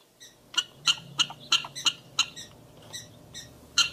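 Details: Prairie dogs calling: a series of sharp, high chirps, about a dozen in four seconds, spaced unevenly with short pauses, over a low steady background hum.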